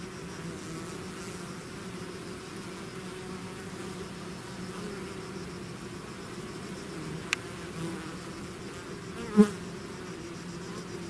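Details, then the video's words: Bees swarming from their hive fill the air with a low, continuous humming drone; a sharp click near seven seconds and a brief louder tap around nine seconds break the otherwise even buzz. "bees therapy swarm natural buzzing sound"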